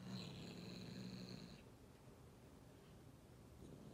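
A Bengal kitten gives a low, rough, rumbling growl that breaks off after about a second and a half.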